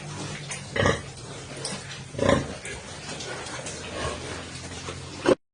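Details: Landrace sow in standing heat, mated with a junior Landrace boar, giving a few short rough grunts roughly every one to two seconds amid steady farm background noise.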